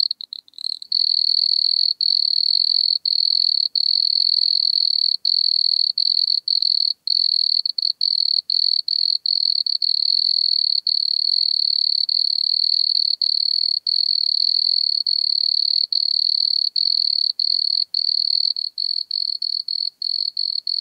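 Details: Wood cricket (Nemobius sylvestris) recorded at Altenberg, Austria, 9 August 2022: a continuous high-pitched purring trill running for twenty seconds with only short irregular breaks, clean background.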